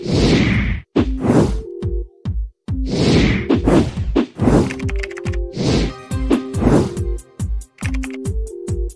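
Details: Loud music with steady tonal notes and punchy thwack and crash sound effects, broken by brief gaps, and no animal voice.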